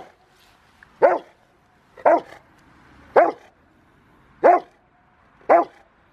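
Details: Five-year-old Rottweiler named River v Schwarzerwald during bite training on January 20, 2020, preparing for a ZTP trial. Five deep, forceful barks arrive roughly once a second, each short and punchy, separated by quiet gaps.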